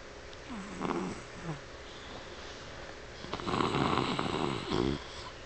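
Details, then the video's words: Pet dog Dixie asleep and dreaming with rapid eye movement, snoring indoors; two short low snorts followed by a longer, louder rasping snore with a rattling, grating texture. "dixie snoring"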